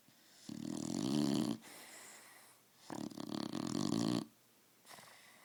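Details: Sleeping dog named Roxy snores indoors, two drawn-out raspy rumbles of more than a second each, separated by a quiet inhale, with a faint start of another breath at the end.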